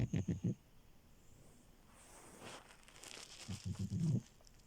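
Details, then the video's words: Sleeping French Bulldog Milo makes short, pulsing, rattly snorts in quick bursts at the start and end, with a soft crinkling, rustling noise in the middle. "Frenchie love and her snores"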